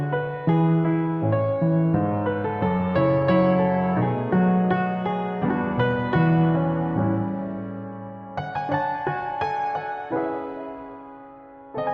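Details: Soft, slow piano melody with ringing chords and no animal voice present.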